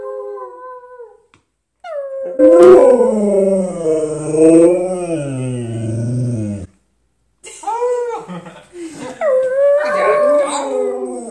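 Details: Husky howling along with people in a howl-off indoors: long wavering, tonal howls sliding up and down with rich harmonics, a short silence, then further rising-falling howls mixed with human voices howling.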